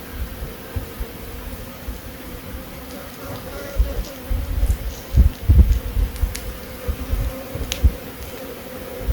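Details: A honey bee's low, steady buzz drones on, with soft thumps and rumble from close by, in Himachal Pradesh, India.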